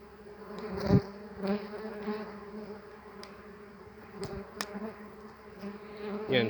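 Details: Disturbed tree bumblebees (Bombus hypnorum) defend their opened nest in a hive box at an apiary, flying around the keeper and striking his hands and face; a steady low droning buzz with rich overtones, sharp knocks of impacts, and a man talking in Polish.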